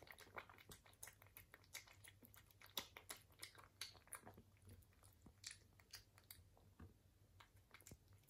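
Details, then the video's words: Eating British Shorthair cat producing a busy run of short crunching bites and wet chewing clicks, about one per second, with a soft steady hum beneath. "ASMR CAT eating - British Shorthair Cat"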